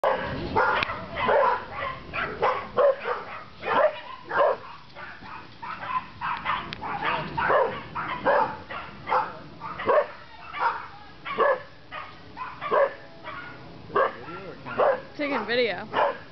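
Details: Two four-month-old Rhodesian Ridgeback puppies, Kaisi and Gixxer, acting as guard dogs, give a rapid run of sharp, mid-pitched barks. The barks repeat roughly every half second with short gaps throughout.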